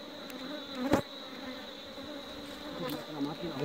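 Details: Buzzing honey bees in an apiary, a low steady hum with one bee passing close and loud about a second in, over a constant thin high whine.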